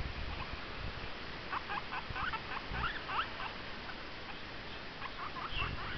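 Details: Pet guinea pig making noise indoors: bursts of short, rapid squeaks and chirps packed into quick runs, one cluster early and another near the end, over a steady hiss of background noise.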